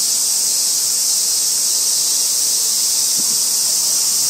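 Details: Robust cicada (Hyalessa maculaticollis), Kitano, Japan, August 2024, recorded on a tree trunk in a small park beside railway tracks; a steady, hissing, high drone holds without a break, with no other clear sounds.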